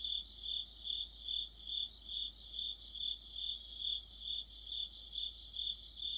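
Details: Autumn cricket chorus with other insects near a streetlight, high bright chirping in rhythmic swells roughly every half second, a constant ringing tone beneath overlapping trills from several insects.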